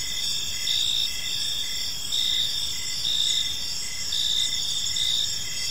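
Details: Crickets in a peaceful park as evening unfolds, a gentle chorus of steady high shrill trilling layered over short, evenly spaced lower chirps that repeat without pause against faint background noise.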